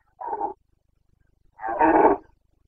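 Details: Carpathian stag in the Bucovina mountains roaring in the rut, the boncănit, on 29 September 2022: a brief hoarse bark followed about a second later by a longer, louder, raspy bellow.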